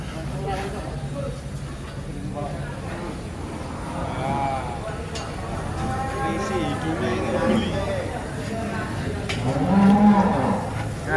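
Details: Angry bull unloaded from a truck, handled calmly by its keeper; low, rumbling moos build and swell over several seconds, peaking in a strong bellow near the end, with people speaking in the background.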